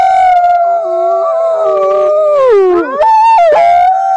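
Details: Wild wolves howling in a chorus: several overlapping, long, steady tones, one voice sliding downward before the voices break into wavering, quavering howls.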